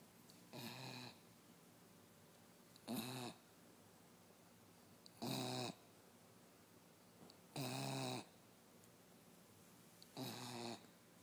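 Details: Westie Sophie asleep and snoring: five evenly spaced grating inhalations, each a short buzzy rasp with layered overtones, arriving about every two and a half seconds against a still indoor background.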